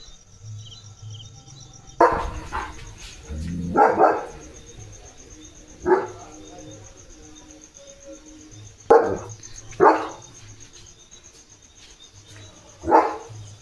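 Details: Leo, a German Shepherd, guarding the house at the gate by night as wind rises and rain begins: loud single barks spaced a few seconds apart, about six over the stretch, with steady insect chirring and a low hum behind.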